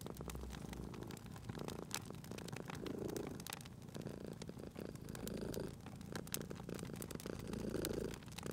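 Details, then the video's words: Sleeping cat purring beside a crackling fireplace in a cozy spring setting: a soft, low rumbling purr swelling and fading in slow breaths, partly masked by dense snapping and popping of the fire. "Cute Purring Cat at a Crackling Fireplace"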